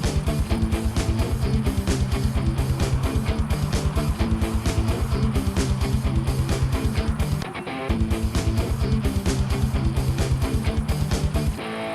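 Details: Steady rhythmic music with a driving low beat and plucked guitar, and no animal voice anywhere.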